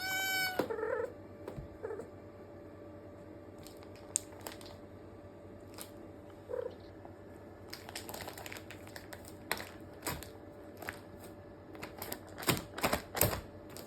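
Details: Rescued cats in a multi-cat home, with an eldest male cat looking after kittens: one clear rising meow near the start, then a few faint mews among scattered indoor clicks and taps.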